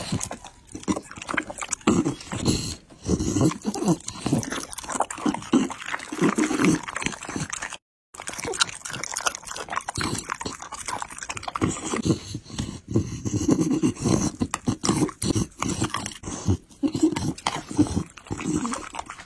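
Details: Close recording of a Pit Bull chewing chicken and raw meat: continuous crunching, tearing and wet smacking bites, one brief dropout midway, then chewing carries on steadily.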